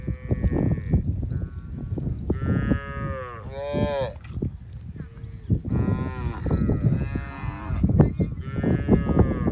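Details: Mother cows and calves together in a field, eating side by side: a run of loud, rich harmonic moos, several with bending pitch, following one another closely over steady low-pitched background noise.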